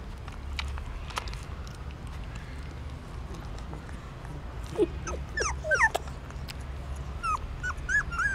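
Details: Hungry newborn puppies nursing from their mother inside a pagoda stupa in Siem Reap, Cambodia; quiet at first, then a burst of thin squeaky whimpers and short yelps from about the fifth second onward.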